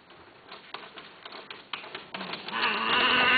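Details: A Himalayan (Persian) cat, offered for sale or mating, gives a loud, drawn-out meow after a stretch of clicking and rustling.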